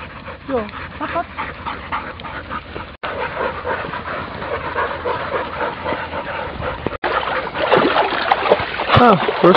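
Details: German Shorthaired Pointer puppies at the water, whimpering and crying: thin, wavering whines that bend up and down, some short and some drawn out, with a man talking over them and steady background noise.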